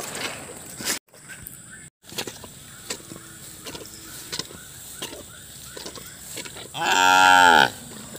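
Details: Cattle in a muddy shed being cleaned after a flood, including a cow that recently gave birth; one loud, rich moo near the end, falling in pitch, after knocks and scraping sounds.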